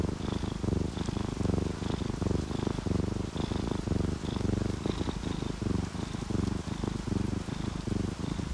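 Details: Relaxed, happy domestic cats, an orange tabby and a calico, asleep and purring. A continuous low throbbing purr with regular pulses, joined by patter and faint recurring high drip notes from added rain.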